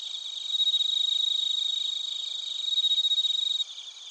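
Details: Bell crickets and crickets in Narita, Chiba Prefecture, Japan, recorded on a TASCAM Portacapture X8: a loud, rapid, pulsed high chirping trill, steady and layered with several bright tones, swelling twice, then dropping abruptly near the end.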